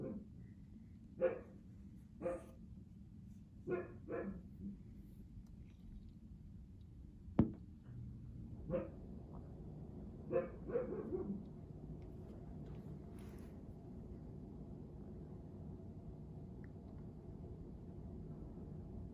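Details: Siberian Husky Juno, seldom heard barking, lets out scattered single barks spaced a second or more apart, then falls quiet over a steady low hum.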